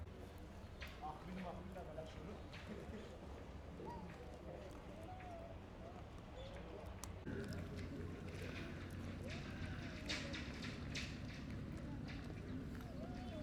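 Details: A hungry, neglected stray cat living among other strays eats food it was given and makes noises while guarding it from the other cats. Wavering, arching moans and growls repeat through the meal over a steady low rumble and scattered clicks.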